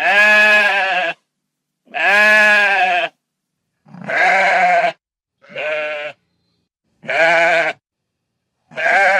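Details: Repeated sheep bleats, roughly one every two seconds, each a nasal, vibrating cry of about a second, some louder and some shorter, from a countryside flock with no other noises.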